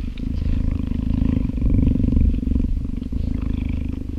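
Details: A 10-month-old female cheetah born in a breeding project purrs in a deep, steady, unbroken rumbling throb while cuddling close to a man in an open yard on a summer day.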